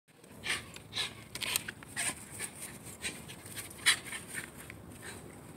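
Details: Excited pet Shiba Inu dog named Chase, worked up and going crazy, panting and snorting in rough, breathy bursts about every half second, with a few sharper noisy puffs and no barking.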